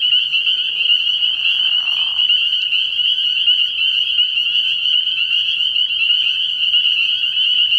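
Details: High, piercing chorus of spring peepers from a frog pond at night in early spring, steady throughout, with a lower, rougher call rising briefly during the first two seconds.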